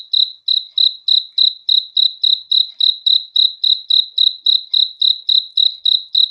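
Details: A cricket at night gives an unbroken run of sharp, high chirps, about three and a half per second, evenly spaced and steady in loudness against a quiet background.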